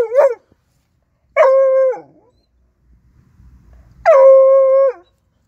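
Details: A 4-month-old Bluetick Coonhound puppy, a hunting dog, discovering his first raccoon, gives three drawn-out, bawling barks, each held on a steady, ringing pitch.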